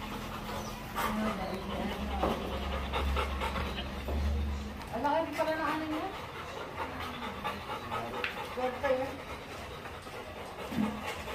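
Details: Labrador Retriever during a stud mating session, panting steadily with a rising whine midway and another near the end, over a low hum, with human speech throughout.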